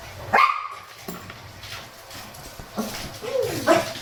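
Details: Grumbling Shih Tzu out walking in the cool of the morning with a Miniature Pinscher; three separate high yelps with wavering pitch are spaced over a few seconds, with quiet music underneath.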